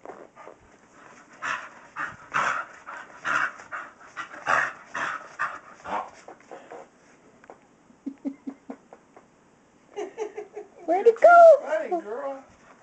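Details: A female Staffordshire Terrier named Kyree pants rapidly as she chases her tail, giving evenly spaced, airy huffs for several seconds. After that a person speaks to her.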